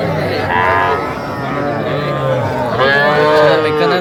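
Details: Small bull and heifer calves for sale at a market in Comilla, Bangladesh, January 2025: two strong, harmonic moos, the first bending upward early, the second rising then sliding down, amid background speech.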